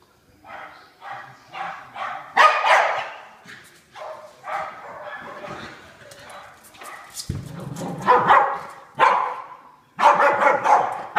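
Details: Two pet dogs, Pig and Joker, playing tag during their daily play, with Pig making noises as Joker outruns her; a mix of excited yips, barks and breathy vocal bursts, some overlapping, with a short low thump near the middle.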